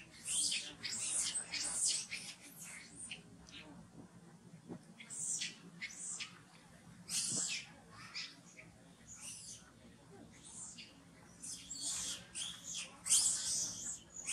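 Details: Very hungry baby monkey Farrah, kept from milk by Fauna, cries in piercing high-pitched squeaks. The squeaks come in rapid, irregular runs separated by brief pauses, over a low steady background hum.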